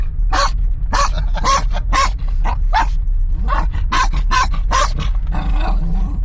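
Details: Tense moments in a moving car between a Kangal crossbreed and a Kangal dog: loud, deep barks in quick runs, with short gaps and a few growly notes, all over a constant low engine hum.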